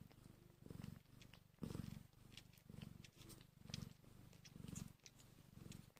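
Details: Hungry kittens an hour old make a steady throbbing purr, swelling and fading roughly every second, with faint scattered clicks and rustles over the top.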